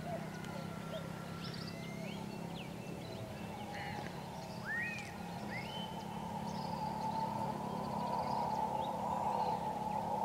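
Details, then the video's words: At Puerto Potrero, Costa Rica, on February 10, 2015, howler monkeys give a deep, continuous roaring drone, with birds whistling rising notes over it. "Howler Monkeys Audio Video, Puerto Potrero, Costa Rica."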